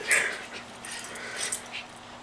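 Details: Bob, a Schipperke pet dog, indoors while helping flip a futon: a short, high, thin whine right at the start, followed by soft rustling and scattered faint squeaky noises.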